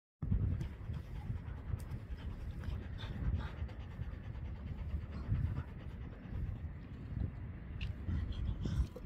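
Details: Senior Labrador Retriever playing rough, heavy rhythmic panting as a low breathy rumble throughout, with a person talking in Dutch over it.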